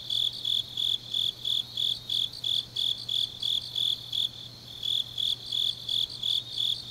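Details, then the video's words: Night-time autumn insect song from Changnyeong, South Gyeongsang: regular high-pitched chirps repeating roughly three times per second, briefly pausing near the middle before resuming, over a faint steady low drone. "깊은밤 가을 풀벌레 소리"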